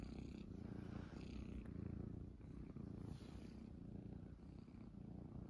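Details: Purring from Munchkin kittens settled on an owner's stomach early in the morning; a continuous deep rumble pulses at roughly one-second intervals, with soft rustling noise close by.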